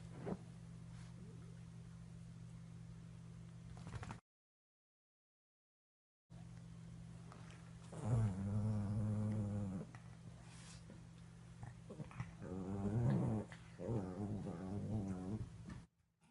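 Cavalier King Charles Spaniel puppies make odd, wavering growl-whines while play-fighting, in two harmonic bursts a few seconds apart. A constant low electrical hum runs underneath, and there is a short silent break early on.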